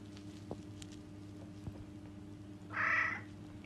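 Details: Angry cat giving a single short, tonal meow of about half a second, rising then falling, late in the clip after quiet, over a steady low electrical hum with faint scattered clicks.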